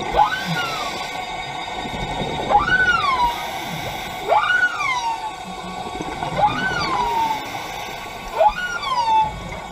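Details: Underwater humpback whale song during a dive at the Carthaginian Shipwreck in Maui, Hawaii: five arching cries, each shooting upward then sliding down in a rich, harmonic wail, repeated roughly every two seconds over a faint hiss.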